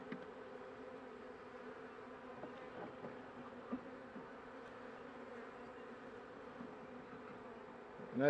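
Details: Inside a weakened honey bee hive near winter's end, a few workers carrying pollen give an even, continuous buzzing hum on two low tones. Small taps sound throughout, and a louder knock comes at the very end.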